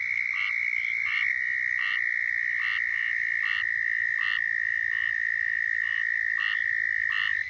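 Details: Southern toads calling in Florida: a moderately distant, continuous high trill runs throughout, overlaid by short, regularly spaced chirping notes repeated roughly every half second to second.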